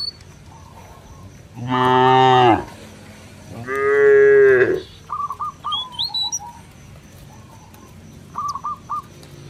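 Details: Two strong, full-throated moos about two seconds apart from cattle wandering a village field and calling companions home to the barn, with scattered bird chirps and a high whistled note in the pauses.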